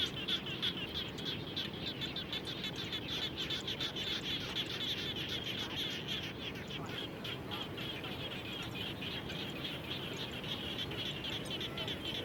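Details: Frogs calling around a home after rain: a dense chorus of rapid, pulsed high notes repeating roughly three times a second over a steady broadband rushing background.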